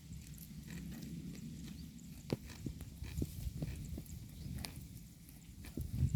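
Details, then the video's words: Grazing herd of cows eating grass: low crunching and chewing with repeated sharp tearing clicks as grass is pulled, irregularly spaced every half second or so, over a soft rural background. "The Sound of a Herd of Cows Eating Grass"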